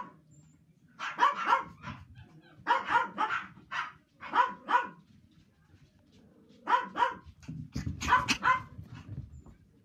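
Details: Young male Toy Poodle eager to play, barking in clustered pairs and triplets of bright, sharp yaps separated by short pauses, with a low rumbling noise near the end.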